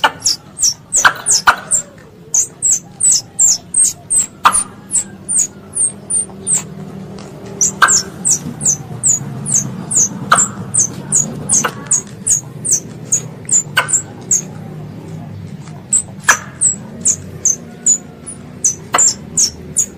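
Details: A pest squirrel calls to its mother, recorded as a hunting lure: a long, steady run of shrill chirps dropping in pitch, roughly two and a half per second, over a low rumbling background and sporadic clicks.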